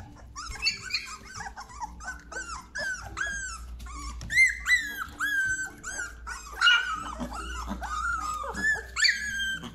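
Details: Labrador Retriever puppies, 17 days old, in a frenzy indoors; a litter of overlapping high whines and yips, many rising then falling, tumbling out irregularly several per second, some louder squeals, with a soft low hum beneath.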